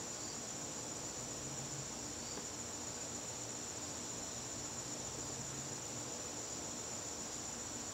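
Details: September evening in a garden, with crickets keeping up an unbroken shrill trill at a constant pitch; faint low droning passes beneath in places.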